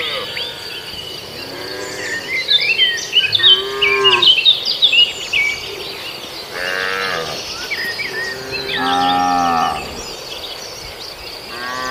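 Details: Herd of cattle grazing in a farmer's rice paddy in Indonesia, several short harmonic moos spaced a few seconds apart, some overlapping, with busy bird chatter and a steady insect buzz behind.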